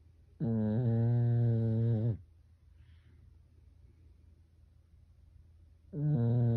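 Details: Pekingese dog asleep at home snoring like a person: a long, low, buzzing snore of nearly two seconds, then about four seconds of quiet breathing, before the next deep snore begins.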